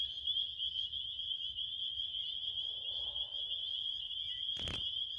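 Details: A dense cricket chorus keeps up a steady high trill, while near the end a single sharp knock or bump briefly breaks through the continuous shrill sound.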